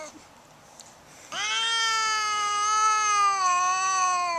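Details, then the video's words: Siamese cat, overstimulated after being patted with a foam sword and about to attack, lets out a loud, sustained, slightly wavering yowl lasting about three seconds after a quiet start. "Siamese who likes being pat with a foam sword gets overstimulated and attacks!"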